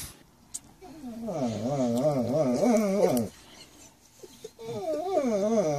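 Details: Domestic dog 'talking': a sustained, warbling whine-howl with quick pitch wobbles, running about two seconds, then a short pause before a second wavering phrase.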